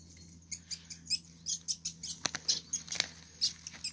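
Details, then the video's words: Two least weasels fighting, so absorbed that they ignore the nearby observer; rapid, high-pitched squeaks and chitters in quick irregular bursts, several per second, over a low steady hum. "Kampf der Mauswiesel"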